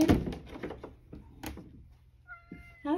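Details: Sacchan, a male rescued cat living at Kazeno Kobo, calls from the back window for the grandmother, who is in the bath and cannot open it; a short harmonic meow amid human voices, knocking and steady electronic tones.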